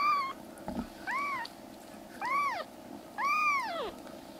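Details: Loud meowing from rescued black kittens, three brothers being fostered indoors as they regain health: four clear arched cries in quick succession, the last longest and swooping down at its end, with faint household hum behind.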